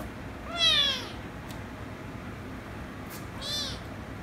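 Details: Rescue kitten angered by a ginger kitten, which later kisses and licks it, meows twice: a clear falling meow near 0.6 seconds and a shorter one near 3.5 seconds, with a soft click and brief rustle between them.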